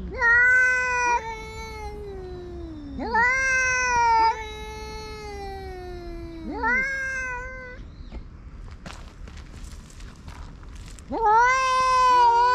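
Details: Tabby-and-white cat chasing an orange tabby that entered its territory. Repeated rising-then-falling yowls of about one to two seconds each, with a quiet gap and faint clicks and rustling before a final loud howl.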